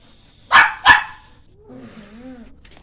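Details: Shih Tzu dog giving two sharp, loud barks about a third of a second apart, then a soft, wavering whine trailing off in an otherwise quiet room.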